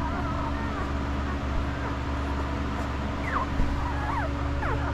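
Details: Newborn puppies of the dog Estes, five days old, give thin high whimpering squeaks that slide up and down. A few faint ones come early, then a cluster of sharper falling squeaks near the end, over a constant low mechanical hum.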